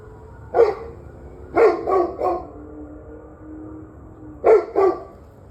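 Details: Dog barking, recorded 21 November 2023 around 7:06 pm: a single bark, then a quick cluster of three, a pause, and a closing pair of sharp barks over a low steady background hum.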